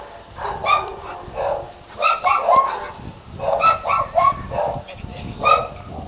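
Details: Young Giant Schnauzer, eight months old, producing groups of whiny, yodel-like harmonic calls that rise and fall, in several bursts separated by brief pauses.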